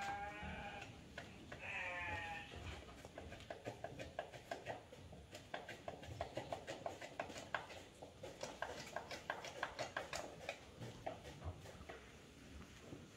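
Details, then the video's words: Etawah goats in Indonesia with two quick nasal bleats at the start, the second slightly wavering, then dense irregular clicks and knocks continuing to the end over low rumbling noise. "kambing etawa"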